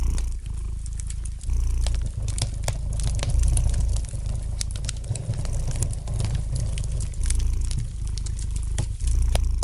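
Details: A cat purrs softly near a fireplace, its low rumbling pulse alternating between louder and quieter phases roughly every couple of seconds while light wood crackles pop throughout.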